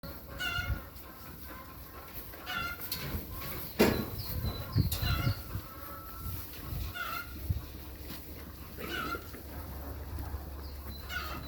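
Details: Goats on a goat farm bleat repeatedly, each call a short, wavering, nasal cry, over low rumbling background noise.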